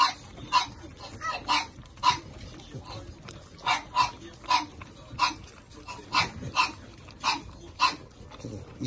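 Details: Young Shih Tzu puppies, two males and two females of a small-sized litter, yip steadily. Sharp, high squeaks repeat roughly every half second over a soft background rustle, with a brief spoken remark nearby.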